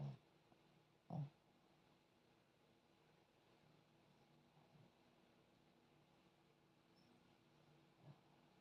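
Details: Sleeping puppy Zion snores in short low, throaty bursts: one at the start, another a second later, then a long quiet pause before a final soft snort, with a faint steady hum behind.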